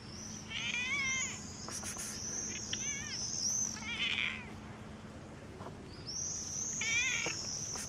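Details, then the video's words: Black stray cat out in the street meowing, four short, wavering, rather high meows spread across the recording, over a steady high-pitched whine and faint low outdoor hum. "Gato preto meow na rua"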